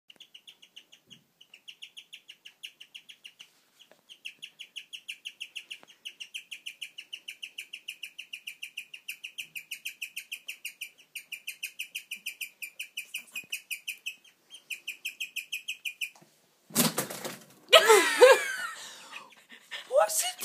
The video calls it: Guinea pig tweets like a bird